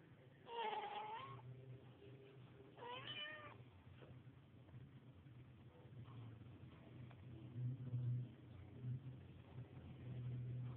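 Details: Mother cat cleaning her kittens; two short tonal meows early on, about a second apart, then quieter rustling over a constant low-pitched background hum.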